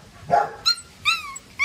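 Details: Staffordshire Bull Terrier puppy, from a litter whose weakest pup did not survive, gives three short, high, squealing whimpers. Each one slides downward in pitch. A brief low voice-like sound comes just before them.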